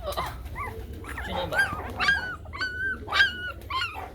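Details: Fifteen-day-old Chow Chow puppies squirm while being handled and give repeated high, sliding whines and short squeaks, with a man speaking softly in the background early on.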